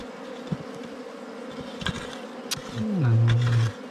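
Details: Bees heard on a wild honey hunt: a faint steady hum in the background, then a loud deep buzz that slides downward and holds steady near the end, like a bee passing close, with a few scattered knocks.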